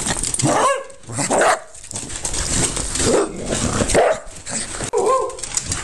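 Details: Cardigan Welsh Corgi recorded on a mobile phone, indoors; scattered barks and yips with a brief whine-like tonal note, irregularly spaced over a few seconds.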